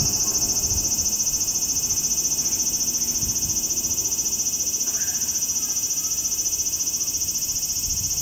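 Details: Summer cicada in Japan, July: an intense, shrill buzzing drone pulsing rapidly and evenly, about three and a half beats per second, steady throughout, with a faint low background hum.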